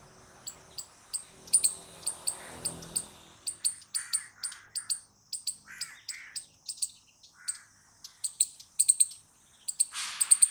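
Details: Loud squirrel chatter: a steady run of short, piercing chip notes repeated about twice a second, sometimes doubled, mixed with brief hoarse, lower rasps and a burst of broadband noise at the very end.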